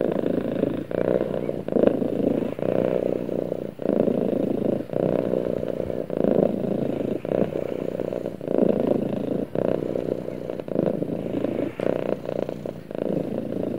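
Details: Pet cat snuggling against its owner, purring in a deep, even rumble broken into repeated breath cycles just under a second long, steady throughout.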